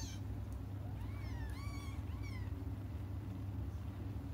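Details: Cats crying as they wait for their mother's return: a short run of thin, rising-and-falling meows bunched in the middle, the rest quiet apart from a constant low rumble.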